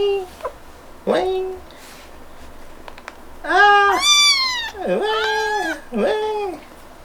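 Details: A female kitten's happy sounds when touched: a series of short meows and chirps, some sliding up then down, several loud arched mews in quick sequence, with gentle music and faint human voice.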